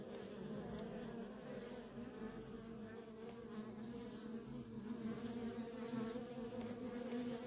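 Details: Worker honey bees in nonstop traffic at a feral colony: a steady, dense droning hum with a low tone and its overtone, swelling slightly toward the end as many bees fly together.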